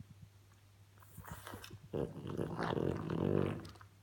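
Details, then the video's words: A female French Bulldog kept as a pet makes funny noises: soft snuffling, then a drawn-out grumbling growl that swells and holds for about two seconds before fading, with a constant low hum behind. "French bulldog video funny noises"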